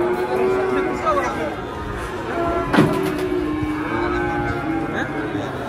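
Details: Huge cattle refusing to walk at an Indonesian market, lowing in a steady drawn-out moo under a dense wash of crowd noise, voices, music and a passing vehicle.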